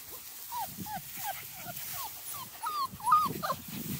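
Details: Six-week-old Small Munsterlander puppies from one litter in tall grass outdoors, giving high, thin whines that slide downward, repeated several times a second in an irregular series, with soft rustling and low thumps underneath.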